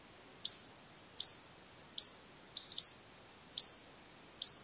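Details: Ezo pikas duet during the autumn pair-formation period in the Daisetsuzan mountains of Hokkaido, giving sharp, high squeaks nearly one per second. A nearby female gives single calls inviting the male's continuous calling, and calls out before and during it.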